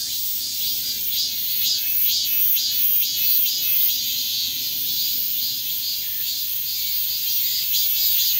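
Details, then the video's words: A Min-min cicada (Hyalessa maculaticollis) moves while singing a loud, shrill, high buzzing song, pulsing about twice a second, at Bongseon Reservoir, Seocheon, South Korea, on 13 August 2023 around 11:40 am. "참매미 울음소리 이동하며 Min-min Cicada singing and moving"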